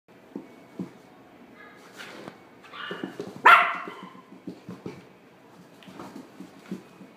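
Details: A black male Toy Poodle born in December 2016, kept at a pet shop, gives one loud, sharp bark midway through. Soft thumps and rustling from a small indoor room are heard around it.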